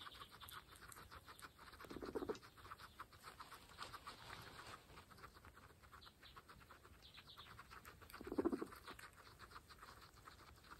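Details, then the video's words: Pregnant female guinea pigs, part of a group of 26 kept as pets, munching fresh grass; rapid crisp crunching ticks run throughout, with two short low soft vocal blips near two and eight seconds. "Pregnant Guinea Pigs fresh grass Mukbang (ASMR)"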